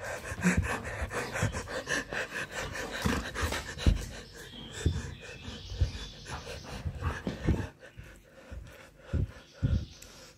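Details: A male golden retriever pants hard and gives short excited huffs and whines, greeting its owner coming home from tennis in the morning on 13 March 2023.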